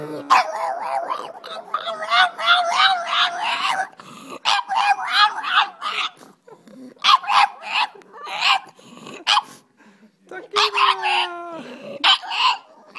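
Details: Tequila, a pet dog, sings along in long wavering howls that rise and fall over several seconds, broken by short yips and pauses, with a final sliding whine near the end.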